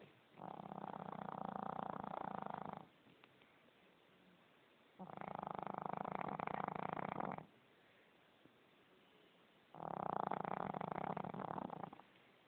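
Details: Heavy snoring from a fat dog, three long harsh buzzing inhalations of about two seconds each, spaced roughly every four to five seconds with quiet breathing between.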